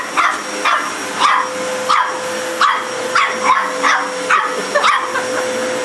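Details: A dog repeatedly barks at a vacuum cleaner, punchy barks about every half second to second against the machine's steady drone.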